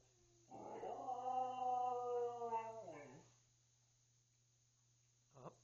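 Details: Tuscany, a 12-year-old pet Siberian Husky, indoors and asked by her family to speak, gives a drawn-out harmonic howl of about two and a half seconds, wavering then sliding down, followed by a short yelp; coaxing voices around it.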